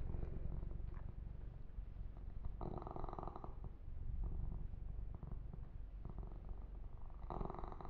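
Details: Kitten named Yumak purrs while being massaged and groomed, a deep even throb running throughout, with loud brushing or stroking noise from about two and a half to three and a half seconds and again near the end.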